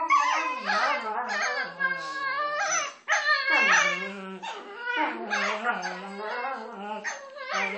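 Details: Two dogs playing together and making funny noises at each other; wavering, yodelling whine-howls in long phrases with brief pauses, pitch sliding up and down, the voices overlapping.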